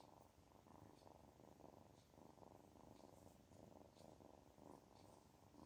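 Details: Loud, close purring from a kitten feeling good: a dense rumbling drone swelling and easing in regular breaths, with only faint chirps far behind.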